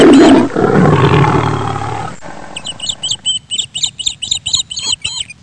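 A tiger gives a deep, rasping roar that fades out over about two seconds.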